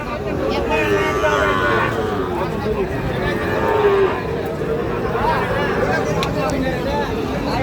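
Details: Sahiwal bull calves, seven to eight months old, for sale at Ambari Hat cattle market in Dinajpur district, Bangladesh, on 26 June 2026; drawn-out, wavering moos rise above steady crowd chatter and market noise.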